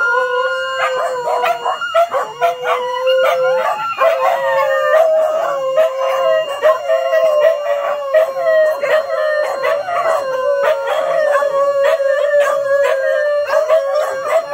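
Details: Early-morning dog howling set off by a siren alarm, little female SoRA among them; sustained, wavering howls held steady with bright overtones, several dogs overlapping continuously with brief yelping catches throughout.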